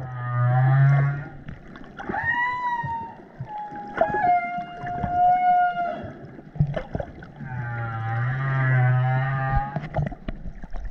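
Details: In the South Pacific in 2018, with curious calves nearby, humpback whales call: deep rumbling grunts alternating with long, tonal, rising and falling moans.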